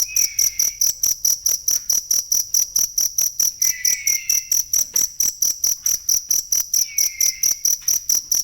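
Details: Cricket used as masteran for training songbirds: steady, high, shrill chirps pulsing a little over twice per second, with a fainter descending whistle recurring roughly every three seconds.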